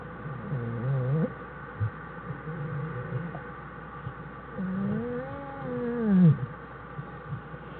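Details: American black bear mother and cubs in their den on January 1, 2013; several harmonic whining moans, one brief and wavering, then a longer rising-falling cry near five to six seconds, over low steady hum.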